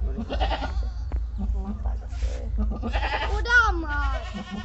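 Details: Deshi goat after kidding three young; a short, descending bleat rises out of steady chatter from people nearby, with low rumbling background noise throughout.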